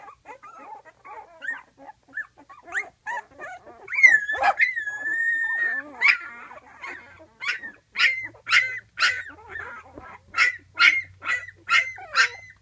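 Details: Flute's 12-day-old pups, just beginning to walk, cry for their mother resting outside the whelping box: shrill wavering whines and sharp yips, one long drawn squeal, then a run of short piercing squeaks, with a faint low hum.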